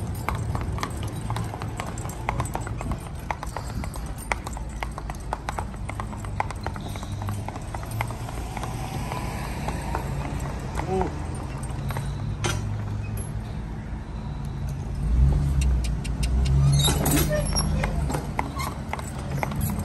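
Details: Hoofbeats of a spotted draft/Haflinger cross driving team, a mare aged 8 and her son aged 4, both 14 hands and traffic safe. Irregular clopping steps sit over a steady low rumble, probably from the vehicle, with a brief louder burst near the end.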